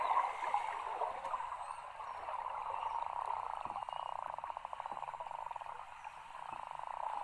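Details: Beluga whales playing close to shore at low tide in Cunningham Inlet, Nunavut, where over 2000 gather from early July to mid-August, give a steady, buzzy, pulsing chorus of mid-pitched calls over faint water wash.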